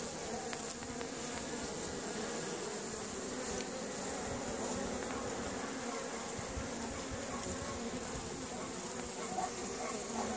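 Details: Many honey bees hum steadily in flight outside an apiary hive in Caribou, Nova Scotia, on a sunny April 25, 2015, with individual buzzes passing close by.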